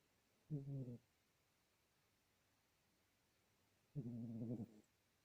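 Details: Domestic cat snoring while asleep indoors: two harmonic, rasping snores about three and a half seconds apart, the first short, the second longer with a slightly falling pitch, over quiet room background.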